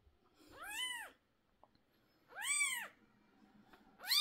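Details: Mother cat upset while her 11-day-old kittens' sore eyes are treated with medicine. Drawn-out, rising-and-falling cries come about every one and a half seconds over a faint low hum. A third cry begins at the very end.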